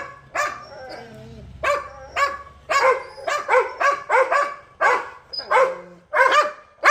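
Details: Pet Labrador Retriever barking insistently, about thirteen sharp, harmonic-rich barks in quick, uneven succession over seven seconds, some doubled, with a faint low hum running beneath the first half.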